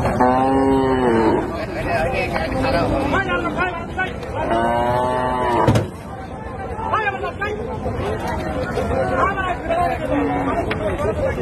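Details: Cows unloaded at a village cattle market give long, loud moos near the start and around five seconds, then a busy mix of crowd noise, clatter and fainter lowing.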